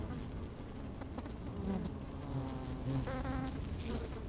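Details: Inside an open beehive on a sunny, slightly windy day, busy honey bees crowd around the microphone. A dense, droning hum swells and fades, and short whining buzzes break through near the end as the bees move about.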